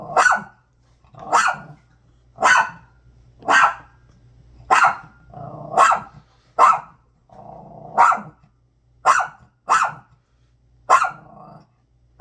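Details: A dog barks hard at a bag, about eleven loud punchy barks at an uneven pace near one per second, with brief growls rumbling in the gaps.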